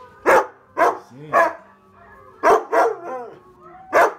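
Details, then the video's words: Short, loud barks in irregular pairs and triplets from Onyx the husky during a try-not-to-howl challenge, with brief yipping, whiny tones between some barks. "TRY NOT TO HOWL CHALLENGE - Husky’s cute and funny reactions"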